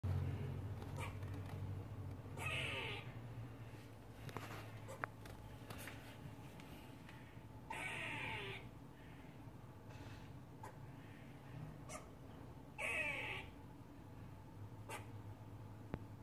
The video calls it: Squirrel making strange noise.